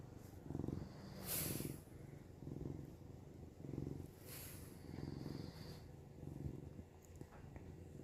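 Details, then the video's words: Purring cat Samson, recorded while camping alongside snoring Nova: low pulsing drone swelling about every second and a quarter, broken by short sharp hissing rustles. "Samson purring"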